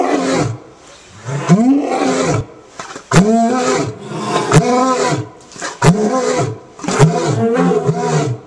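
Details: A lion at a big cat rescue roars in deep, throaty bursts that swell and fall, repeated in a rolling series.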